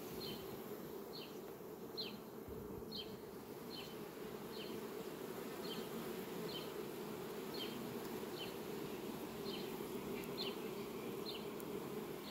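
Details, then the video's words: Many bees buzz around sunflower blooms at a farm, recorded 18 July 2021. A continuous droning hum fills the background, and short high ticking chirps recur at uneven intervals. "un zbor frumos al albinelor la floarea-soarelui!"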